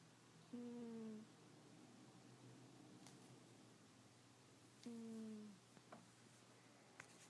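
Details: Two low, whistly snores from the sleeping cat Yuki, about four seconds apart, each a slightly falling tone under a second long, with faint taps and rustles between them.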